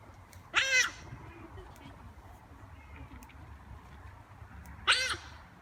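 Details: Giant otters at play, greeting visitors, let out two short, piercing, strongly harmonic screeches about four seconds apart, over a low background murmur.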